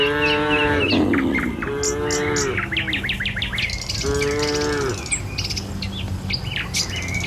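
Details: Morning herd of dozens of tame cattle heading along a village road to their pen. Three clear, sustained moos in the first five seconds, then busy high bird chirping continues.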